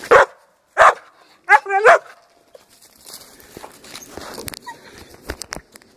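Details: Young Pinscher male, 6.5 months and 62 lbs, barking aggressively while a helper agitates him without equipment; three loud harsh barks, the last doubled, followed by scuffling, footsteps and clattering.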